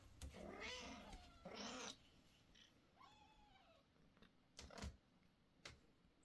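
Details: Kittens at an age of constant sleeping or meowing, calling loudly indoors: two long, strained, wavering meows in the first two seconds, then a softer falling mew and a few clicks and knocks.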